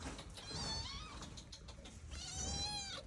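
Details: Domestic cat at home meowing twice, each a drawn-out nasal call sliding downward, about a second and a half apart, with a woman talking nearby.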